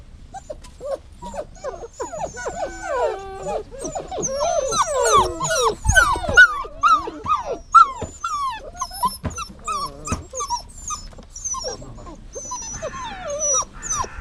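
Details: Dog whining in long, dense runs of overlapping high, bending tones. Some tones rise and some fall, and they are broken by short yips. The cries come quickly and irregularly, with quieter stretches near the end.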